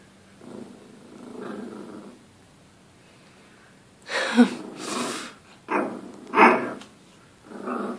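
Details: A Dachshund puppy barking at its reflection in a mirror gives a few sharp, high yapping barks in quick, uneven bursts after brief human speech.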